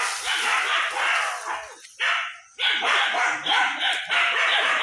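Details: Village dogs in rural Bangladesh barking while chasing a large monitor lizard in the jungle behind a house; harsh, rapid overlapping barks from several dogs, about three to four per second, with a brief lull near the middle.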